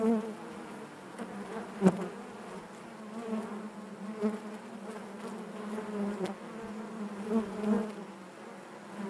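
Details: Many honey bees humming within the hive, an even low drone punctuated by a few sharp clicks or taps and occasional nearby wingbeat swells.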